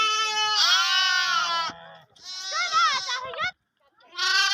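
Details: Lamb bleating loudly, long bright harmonic bleats, one breaking into a wavering, rising-falling ending, with a brief silence before another bleat starts.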